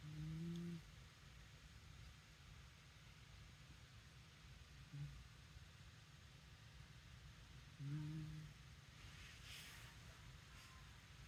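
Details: Shiba Inu snoring, a low droning hum with a faint higher overtone, heard in three separate breaths: one long at the start, a short one mid-way and another long one near the end, with quiet background hiss between.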